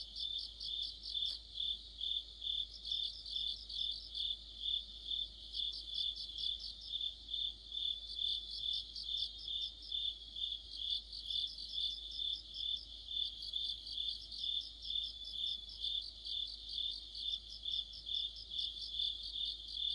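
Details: Autumn chorus of crickets and other insects, recorded amid the deepening autumn season: dense high-pitched chirping pulses repeated roughly twice per second over a steady ringing trill, with overlapping callers forming a continuous orchestra.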